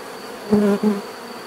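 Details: A single bee flying close by, giving two short, loud, even-pitched buzzes about a third of a second each, separated by a brief gap, over a soft background hum of other insects.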